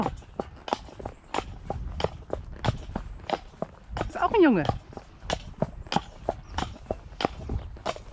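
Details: Shire horse De Goot Damon of Ostsee Shires on 2 May, heading out to collect a new boarder from Falkendorf after early rain: steady hard hoofbeats about three per second, with a brief squealing creak midway.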